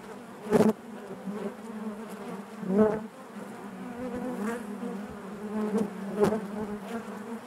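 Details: Honey bee hive interior, steady low buzzing drone with harmonic layers, several louder passing buzzes standing out, the strongest near the start and another just before the three-second mark.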